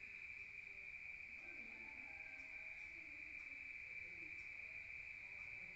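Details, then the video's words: Crickets at night in a rural setting, heard from inside a room: a steady, high, unbroken trill holds one pitch throughout, with a faint murmur of low background noise. "Rural Nature Sound of crickets at night heard from outside"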